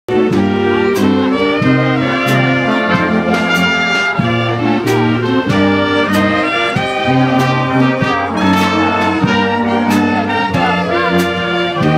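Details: Loud brass band music with trumpets and trombones playing a rhythmic tune throughout, and no animal sounds.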